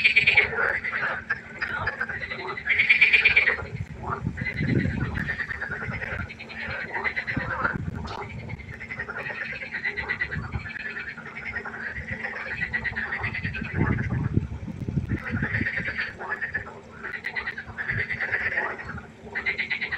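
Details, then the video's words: Many frogs croaking after dark beside a pond, continuous rasping pulses overlapping, louder bursts now and then, and a couple of deeper croaks nearby. "1 Stunde Froschkonzert. Frosch Geräusche quaken. Frösche Geräusche Konzert"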